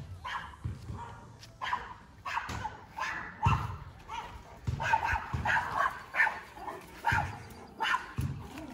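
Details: Alaskan Malamute going crazy at another dog, protecting his territory with a quick uneven stream of deep barks, several per second at times.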